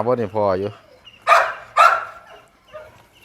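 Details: Grown Pit Bull puppy on a hot, sunny morning giving two sharp, noisy barks about half a second apart, right after a man's brief talking; quiet background afterward.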